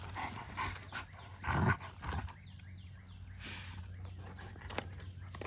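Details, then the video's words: German Shepherd Odin at play with a log gives a short run of thin, high, arching whines in the middle, between louder thumps and scuffing noises from the log and his movement. "Odin is a Happy Dog with a Log"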